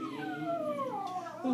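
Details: A peka-pom-poo dog howls a long, tuneful note that slides slowly downward while the national anthem is sung faintly in the background at a hockey game.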